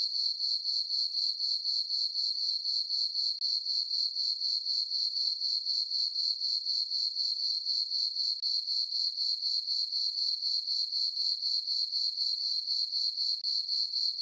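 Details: On a calm summer night under a full moon, crickets in a farm meadow keep up a high, shimmering chirp, pulsing evenly about four times a second without pause.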